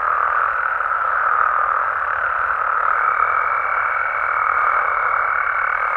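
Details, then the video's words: A night chorus of frogs and toads in Mexico: dense, steady mid-pitched croaking throughout, with a thin high tone joining midway and holding to the end. "Mexican Frogs & Toads Sounds"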